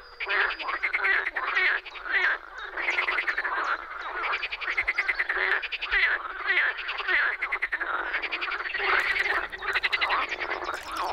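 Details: Croaking frogs in a Czech pond in spring, a steady wall of grating, pulsed calls from several animals, bursts repeating unevenly, with a faint low rumble entering toward the end.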